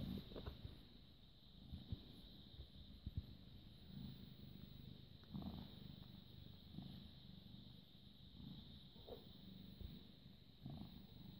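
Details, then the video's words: British Shorthair cat born 18 August 2010, recorded evening of 6 May 2017 at 21:55, purring continuously: low grainy rumble swelling in breath-paced cycles every second or so, with occasional light handling clicks and steady hum. "British Shorthair Cat purring"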